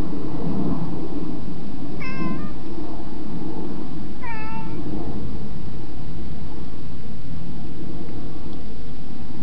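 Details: Cat wanting in, with two brief meows about two seconds apart, the second slightly longer and falling at the end, against a loud, rumbling background.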